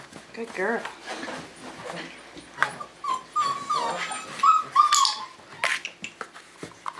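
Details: Five-week-old Tamaskan Dog puppies playing the Puppy Culture box game; thin, high whimpers slide up and down in short bursts, mixed with a person's repeated praise and chatter.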